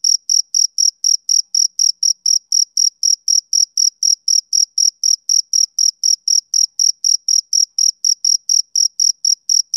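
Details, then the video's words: Summer-evening chirping of a male cricket, a bright, piercing pulse sounding roughly four times per second in an unbroken, regular rhythm against complete quiet, with nothing else audible. "Cricket Chirping Sound Effect"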